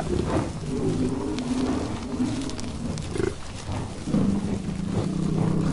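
An American bison gives deep, rumbling bellows with a rough, growling tone.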